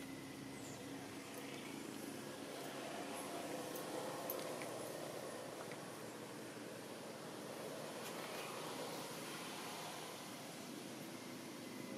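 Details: Steady roar of passing vehicles and road traffic fills the scene, with faint distant voices and no clear animal sound.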